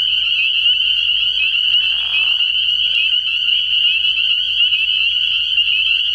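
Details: Night chorus of spring peepers at a frog pond early in the year: countless high, piercing peeps merge into an unbroken shrill wall of sound, with a brief lower rasping sound near the middle.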